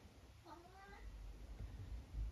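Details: A vocal 12-year-old tabby cat from the UK gives one short, slightly wavering meow lasting about half a second, over a low rumbling background.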